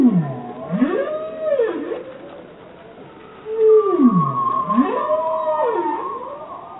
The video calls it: Bowhead Whale Song Spectrogram